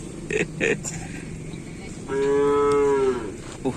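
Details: Cattle being trained for a Kerapan Sapi bull race at the crowded Asemanis field in Pamekasan. Two short thumping sounds come first, then a loud, clear moo that holds steady for about a second before fading.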